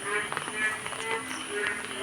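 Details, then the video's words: On a cloudy morning during continuous rain, many frogs croak together from small ponds and ditches filled with water, in a dense, overlapping chorus of short, rough pulses. "ছোট ছোট পুকুর ডোবা তে জল জমে যাওয়াতে শোনা যাচ্ছে ব্যাঙের ডাক"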